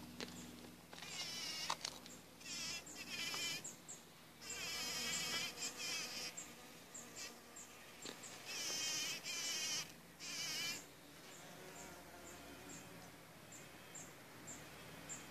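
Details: Bees busy at work producing honey; a wavering, droning buzz that swells and fades as insects fly close, with short quieter gaps and faint high chirps toward the end.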